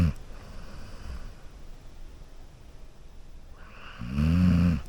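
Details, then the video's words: Golden Retriever asleep on a couch, snoring: a short rumbling snore at the start, a quiet stretch of soft breathing, then a louder, drawn-out buzzing snore lasting most of a second near the end, in a quiet indoor room. "A Golden Retriever Sleeping & Snoring on a Couch"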